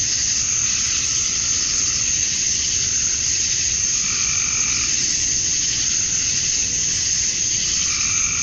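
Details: Summer-dusk chorus of male cicadas in Georgia, USA, calling to attract females; a continuous buzzing shrill wall of sound with faint wavering mid-pitched tones drifting in and out beneath the steady high drone.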